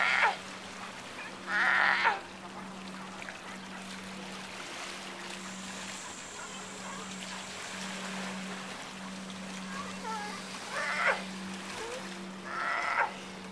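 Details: Sea lions at Monterey Bay near the Breakwater, heard after a scuba dive: harsh, raspy barks in short bursts, two near the start and two more near the end, over a steady low engine hum and trickling water.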